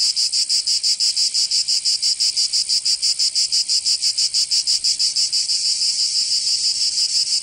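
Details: Chorus of cicadas in summer, Provence in southern France; piercing high buzz with very regular rapid throbs, about three per second, smoothing into a more continuous whine toward the end.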